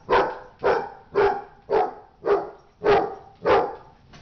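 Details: Dog barking in a fight, seven or eight harsh, evenly spaced barks about every half second, each a short loud burst.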